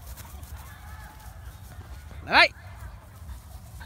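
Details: A Belgian Malinois in daily attack-training gives one sharp, loud bark that rises and falls quickly.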